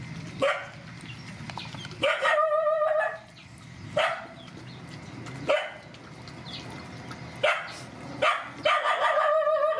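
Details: Mother dogs and puppies, rescued, during feeding; loud barks about every two seconds, some drawn out with a clear tonal yelping edge, over a busy noisy background.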